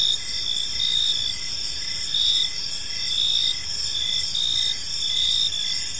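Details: Gentle evening cricket chirping in a park, several insects overlapping in high sustained trills with short regular chirps roughly every second, steady volume, faint low noise below.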